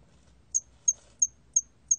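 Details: Hairy cricket chirping: after a half-second pause, five bright, high-pitched pulses follow at a steady rhythm of roughly three per second, with a soft low murmur beneath.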